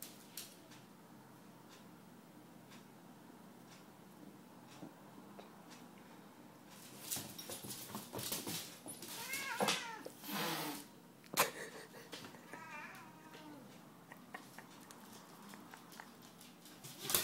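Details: Tabby cat indoors confronting a Staffordshire bull terrier: after a quiet start, wavering, drawn-out yowls rise and fall over several seconds, mixed with harsh broadband hissing bursts, then a few shorter wavering cries.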